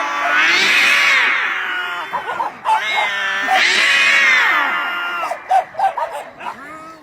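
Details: Domestic cat giving two long, loud, arching wails that rise and then sag, each about two seconds, with shorter broken yowls and chirps between them and faint voices underneath.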